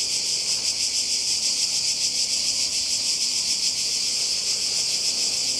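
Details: Cicadas by the sea in Croatia during a 2020 holiday: a dense, unbroken high buzzing chorus that pulses about three to four times per second and keeps one steady loudness throughout.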